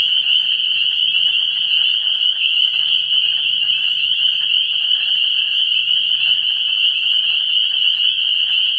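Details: Early-spring vernal pool frogs, dated 17 March 2016, calling en masse as a constant high, ringing wall of peeps with rapid flickering pulses and quieter scattered lower calls throughout.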